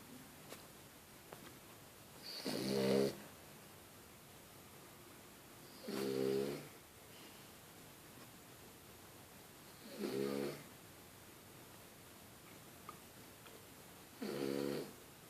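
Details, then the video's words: French Bulldog snoring while asleep, four regular harmonic snores spaced about four seconds apart, each a short rasping inhalation, with a faint steady background hiss indoors. "Bulldog francés roncando"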